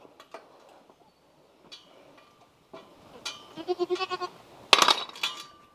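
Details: French Alpine baby goats at bottle feeding; after quiet clicks and knocks, a pulsing, quavering bleat builds near the end, followed by a sharp clatter and a shorter cry.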